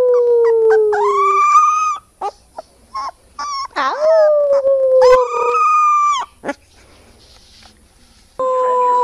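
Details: A puppy howling, one of a compilation of cute young dogs: sustained tonal howls that sag gently in pitch, interrupted by short yips and whimpers, then a final rising wail after a quiet gap.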